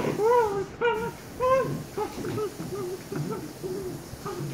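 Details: Shiba Inu puppies aged 114 days, two of them: drawn-out, tonal whines that arch up and down, three clear ones at the start, then a run of shorter, quieter whimpers repeated about once a second.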